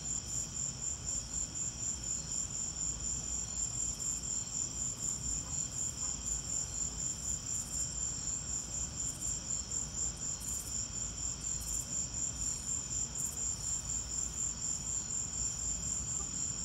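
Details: Crickets chirping during a lightning storm: a high, thin, pulsing chirp repeated rapidly and evenly, about two pulses a second, over a steady low rumbling background.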